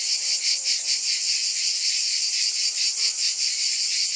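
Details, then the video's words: A continuous shrill drone from cicadas, with a soft rhythmic throb about every half second and a few faint lower tones beneath. "Scintillating Cicadas 1 hour White Noise"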